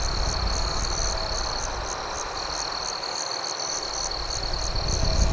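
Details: Crickets at night beside a campfire, a steady high pulsing chirp repeated about four times a second over a constant high trill, with low rumbling fire noise underneath.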